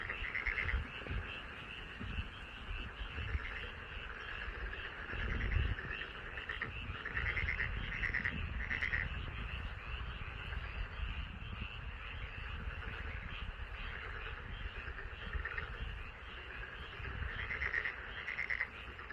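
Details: Frogs croaking in a rice paddy in front of a house, a dense continuous chorus of rattling calls with pulsed bursts, steady low rumble of background noise underneath.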